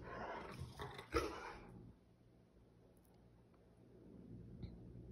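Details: A Rottweiler lets out a rough, throaty grumble of protest in a "temper tantrum" after being refused chocolate, having already had a grilled cheese, then falls quiet.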